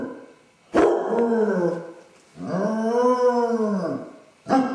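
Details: A basset hound with separation anxiety howls while alone in the house after its owners leave, giving long mournful howls that rise and then fall in pitch, with a sharp bark-like start at the end.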